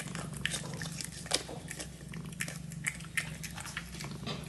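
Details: A Dragon Li kitten eats while purring, a continuous low rumble under scattered wet chewing and crunching clicks, recorded close-up indoors.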